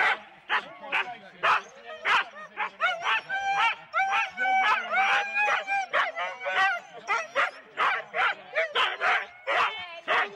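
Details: At Rendlesham in January 2016, several four-dog Husky sled teams bark at the start, taped on analogue cassette: relentless choppy yips and barks with wavering whining tones threaded through the middle seconds.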